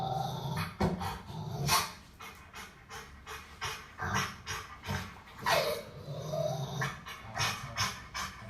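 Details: Rottweiler puppy protecting its owner from an aggressive dog on television; short, harsh barks and growls burst out irregularly, several per second at times, with quieter gaps between them, indoors.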